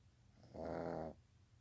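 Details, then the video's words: Sleeping young pug letting out a single half-second rasping snore, rough and buzzy, against a quiet low hum. "My baby Pug snoring."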